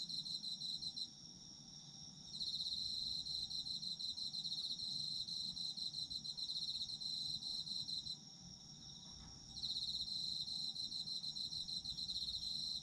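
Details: Night ambience of autumn insects for sleeping: steady high-pitched cricket trill beneath rapid pulsing chirps that stop twice and return, leaving a thinner ringing tone between bursts, with a quiet low rumble.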